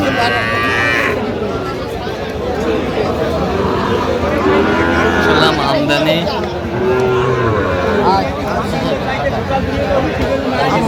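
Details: Sahiwal bull calves at a cattle market on 15 November 2025, being bought by farmers from Dhaka. A low, drawn-out moo with stacked harmonics rises midway, partly buried under crowd chatter, bargaining voices and vehicle noise.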